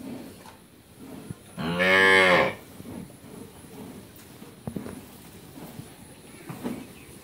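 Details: Friesian heifer calf, ten to eleven months old, at a dairy farm in Pabna, Bangladesh, lets out one loud, harmonic moo lasting under a second, followed by quiet clicks and faint handling noises.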